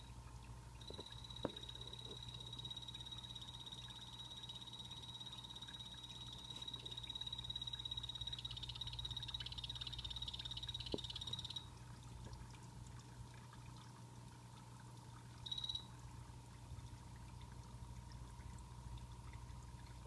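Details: Pet blue-bellied poison frogs in a planted vivarium giving a long, steady high buzzing trill lasting about eleven seconds, then a brief second burst, over a constant low hum and faint mid-pitched tone.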